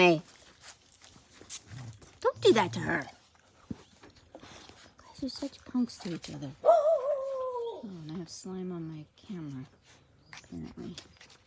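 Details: Playing Australian Cattle Dog puppies (Blue Heelers) give a drawn-out, high whine that wavers and then slides down, among scattered yips and a man's speech.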